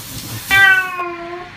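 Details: Cat being bathed gives a single sharp, steady meow lasting about a second, bright and harmonic, starting abruptly over a soft background hiss.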